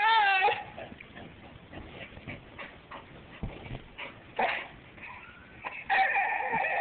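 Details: A pet bull terrier "sings" for its owner in long, tonal howls sliding up and down in pitch, with softer whimpering between them, ending in another strong, sustained, quavering note.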